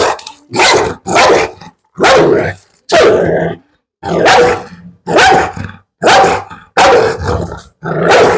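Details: Pit Bull dog during a dog challenge, barking in loud harsh bursts roughly every second, some bursts doubled, with brief growly edges and short silent gaps between.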